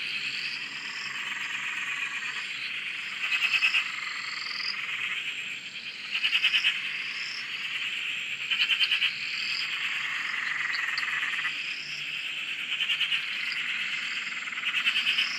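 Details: Many frogs on a dam in Australia calling together, an unbroken wall of high trilling with repeated upward-sweeping chirps and regular louder rattling bursts every few seconds.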